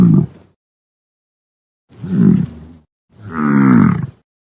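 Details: Bison grunting: a brief low call, then two longer deep, harmonic, moaning grunts about a second apart, each rich in low tones, in otherwise silent surroundings.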